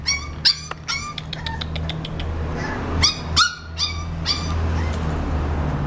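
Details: 35-day-old male English Bulldog puppy giving a fast series of high whining yelps, each brief and downward-bending, some squeakier and clipped, over a steady low hum.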